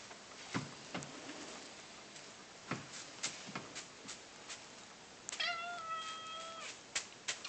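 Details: Persik, a male house cat coaxed to "talk" and say "kva", gives a single drawn-out level meow lasting over a second near the end, after scattered taps and clicks in a small room.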